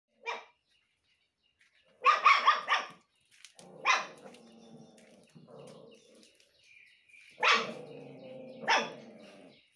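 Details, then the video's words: Three pet dogs barking along with their owner: sharp broadband barks at about 0.3, 2–3, 4, 7.5 and 8.7 seconds, the burst near two seconds a rapid cluster, with lower drawn-out howling tones between barks. "My three cutest 😘baby❤😘barking with me🥰"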